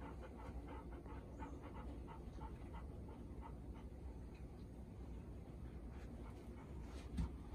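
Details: Panting from Bis, a four-year-old female Golden Retriever newly arrived at her mother Ibuki's home, a day after first meeting; quick regular breaths fading slightly, low background hum, a soft knock near the end.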